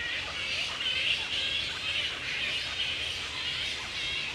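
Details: At Woodford, Australia, a wild grey-headed flying fox colony roosts in mid-April, the peak of the mating season. Shrill, overlapping squeaks and screeches form a constant bickering din.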